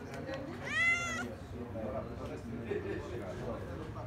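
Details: Cat near the sea at Kaloi Limenes, Heraklion, Crete: a single short, rising-then-falling meow at the start, followed by Greek speech and low background noise.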